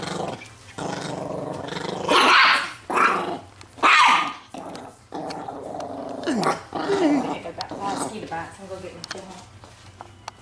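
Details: A possessive 4 lb Chihuahua named Leon, two years old, growls over his T-bone bone in a room with the fawn Doberman Gza-gza. Rough rumbling growls build into loud, harsh snarling bursts, mixed with a man talking.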